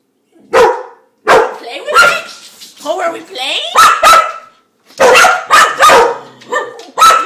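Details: A dog eager to play with a spun dishwasher spinner lets out loud, clipped barks in quick succession, overlapping with a woman's excited chatter.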